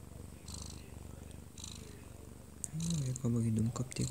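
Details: A one-year-two-month-old odd-eyed Munchkin cat purrs while asleep in its owner's arms; a soft low rumble is followed after about three seconds by a louder voice from the television in the room.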